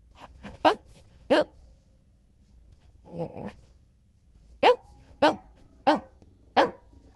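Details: Golden Retriever barking indoors: a run of sharp, abrupt barks, two early ones then a softer grumbling sound midway, followed by five evenly spaced barks about two-thirds of a second apart.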